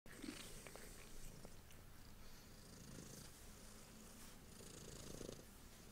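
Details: Domestic cat purring steadily while receiving her favorite belly rubs indoors; a low, continuous rumbling purr with soft rhythmic pulses, light rustling and hand-stroking noises over the top.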